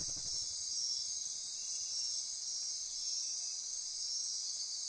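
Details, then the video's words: Dense nocturnal insect chorus in rainforest near Corcovado National Park on the Osa Peninsula, Costa Rica: pulsing, ratcheting high buzz throughout, with a brief low pulsing sound at the very start. "Midnight Insect Chorus"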